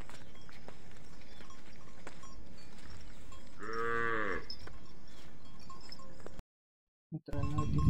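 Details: Dairy cow in her second lactation with two teeth and a female calf, up for sale; one clear, sustained moo near the middle, then a short gap and a burst of noise.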